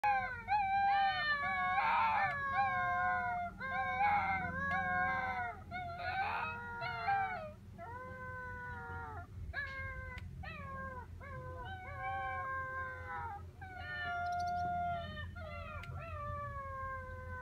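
Alaskan Malamute puppies howl together in high, wavering, overlapping cries that rise and fall.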